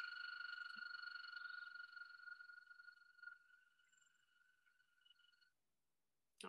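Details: An American toad (Anaxyrus americanus) gives its long, steady, musical trill, the spring mating call at breeding waters where toads lay eggs in long strings.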